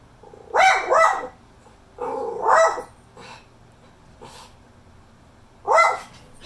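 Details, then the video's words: A Miniature Schnauzer, on seeing another dog, gives sharp, high barks, often in quick pairs, with short pauses between bursts. "Miniature schnauzer barking"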